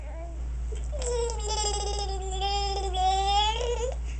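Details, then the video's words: TJ, a dog, after his bath, making a strange gurgling noise: one sustained, wavering, whine-like tone that rises and falls for about three seconds, with rich harmonics and a steady low hum beneath. "TJ making strange noise after his bath"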